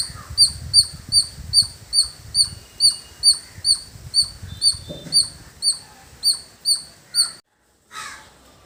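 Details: Village squirrel chirping in a long, quick run of piercing squeaks, roughly two or three per second, with low rumbling in the background. A brief dropout and a short noise follow at the end.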